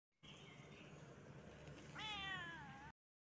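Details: A tabby cat, reacting angrily after being poked, gives a loud, drawn-out, wavering meow of annoyance after a muffled, rustling start.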